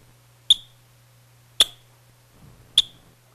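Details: Adult yellow-bellied marmot alarm call, three sharp, high chirps about a second apart, possibly a playback-experiment version with 5 ms of added noise or silence; marmots forage less after hearing noise-added calls.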